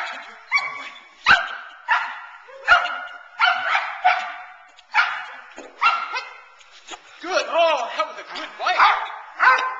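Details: Nine-month-old Boerboel bitch named Teal works in protection training, kept focused on the man rather than the sleeve; loud harmonic barks repeat roughly every half second to second, with some rising whiny notes near the end.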